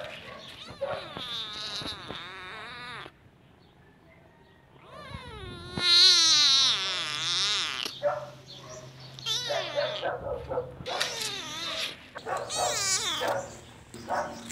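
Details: Cat meows for attracting cats: a long wavering cry, then a louder rising-falling wail, followed by a burst of short overlapping mews, with a steady low hum beneath.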